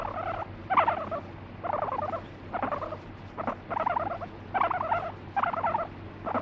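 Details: Annoyed pet guinea pig that bites and urinates when petting stops, no background music. Rough, pulsing half-second bursts come in an uneven series, about seven of them, each buzzy and chattering in the mid range.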